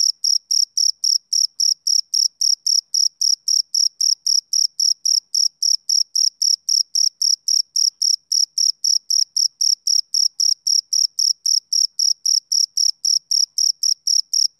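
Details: High, thin chirping of a male cricket on a summer evening, regular bursts about every quarter second, continuing evenly for the whole stretch with nothing else audible.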